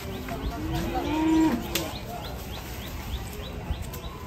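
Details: Cow, described as enraged and having rammed a Pajero car, gives one drawn-out, low moo lasting nearly a second, rising slightly and then falling. Human voices chatter behind it, and a faint, regular chirping repeats throughout.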